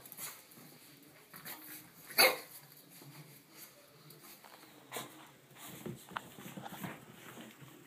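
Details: Blue Boston Terrier puppies, almost six weeks old, playing indoors after a bath; one short, sharp bark rings out early on, surrounded by soft scuffling, rustling and faint patter of play.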